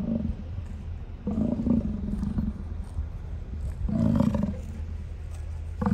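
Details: American bison along Grand Loop Road in Hayden Valley, Yellowstone, Wyoming, on August 10, 2023 at 8:30 PM, recorded from inside a car with geysers in the background; deep, rumbling, roar-like bellows rise twice over a steady low hum.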